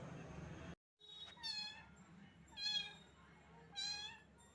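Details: Small cat, wet in the rain and shivering with cold, meows three times, each a clear rich call about a second apart, rising then falling, over a low hum.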